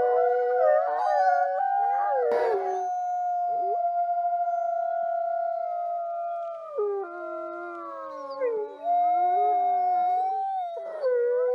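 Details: Several gray wolves (Canis lupus) howl together in long, sustained, wavering tones that overlap and shift in pitch; a looped recording.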